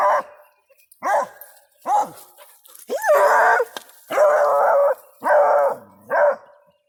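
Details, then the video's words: Hound puppies barking and howling at a backhoe: a few sharp barks that shift into drawn-out, wavering howls lasting nearly a second each, repeated in a loud series. "The hound puppies and Shug barking and howling at the backhoe"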